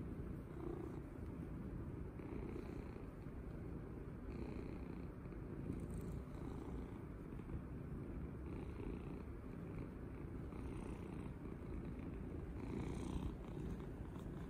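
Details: Pet cat purring loudly with enjoyment as it is stroked and cuddled; an unbroken low rumbling drone throughout, with brief soft hiss-like brushing sounds from the petting every few seconds.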